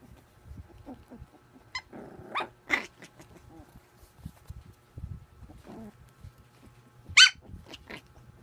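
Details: A puppy playing makes low growls and grumbles mixed with a few short high yips, one loud sharp yip standing out late in the sequence.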